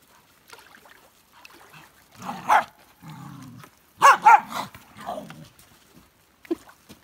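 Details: Excited on the beach over sticks and sand, Elsa the Norwegian Elkhound mixes soft low grumbles with sharp, bright yelping barks, a single one, then a quick double burst, followed by a drawn-out whine and a brief final yip.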